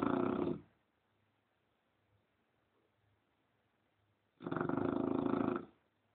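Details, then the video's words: English Bulldog snoring while asleep indoors: two long, loud, rough breaths about four seconds apart, broad rasping sound with a low hum between them, otherwise quiet room. "Bulldog ingles Roncando"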